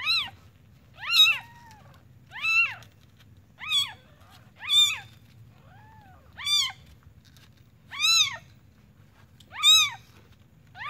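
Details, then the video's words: A newly born kitten from the village mewing insistently: eight shrill, arched cries, each rising and dropping, coming every second or so, plus a couple of softer, lower mews between them over a steady low background hum. "Suara Anak Kucing Baru Lahir"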